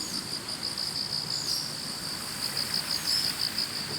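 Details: Autumn morning roadside chorus of grass insects: dense, high-pitched pulsing trill, rapid and continuous, with soft background noise throughout.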